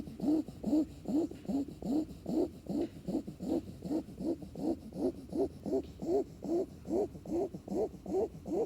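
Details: Puppy snoring while asleep: soft nasal snores with a rising squeaky whistle on each breath, repeated evenly about every half second in a steady rhythm over a quiet background.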